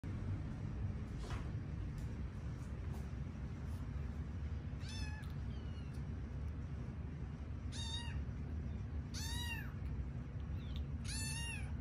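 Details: Sleepy kittens at bedtime, five rescued littermates found in an office building, give high thin meows: a faint early call, then four clear arched mews near the end, spaced one to two seconds apart over a steady low hum.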